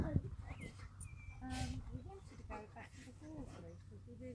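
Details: Two Alaskan Malamutes play fighting on Camber Sands in hot weather in 2018 trade short, throaty grumbles and yowling vocal bursts.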